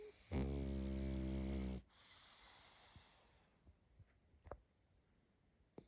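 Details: Little female pug puppy asleep, giving one long, loud, deep rasping snore of about a second and a half, then quiet breathing with faint soft snuffles.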